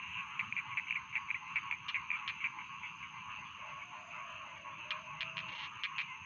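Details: Rice field frogs calling in a dense chorus, a steady buzzing band of rapid croaking pulses with sharp ticking clicks standing out, mostly around the first two seconds and near the end.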